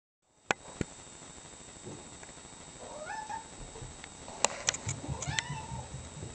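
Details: A gray tabby cat gets a treat and is snacking. Two soft, short meows rise and then fall. Sharp clicks and handling noises come before and around them.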